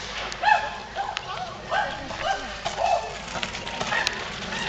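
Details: Excited chimpanzees at Twycross awaiting food at snack time: short, pitched hoots and barks that come in bursts about once a second over a steady background murmur of other group members.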